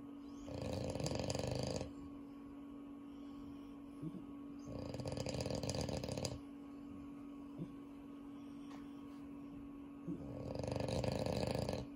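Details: French Bulldog from a household of several French Bulldogs, including Unio, snoring in sleep: three long, rasping, broadband breaths, each about one and a half seconds, coming every four to five seconds over a steady low electrical hum.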